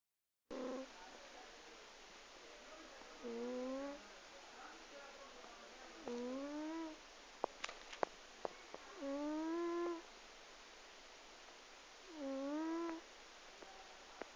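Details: Twelve-year-old cat asleep and snoring very loudly, each breath a drawn-out, harmonic, slightly rising groan lasting about a second, repeated roughly every three seconds, with faint clicks between in a quiet room.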